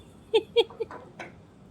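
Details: A poodle gives short, high, squeaky yelps: two sharp ones in quick succession, then three softer, breathier yips trailing off.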